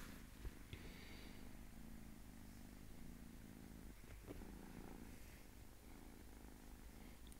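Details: A sweet little domestic cat purring continuously, a low throbbing rumble with even rapid pulses, a soft tap early on and light rustling midway.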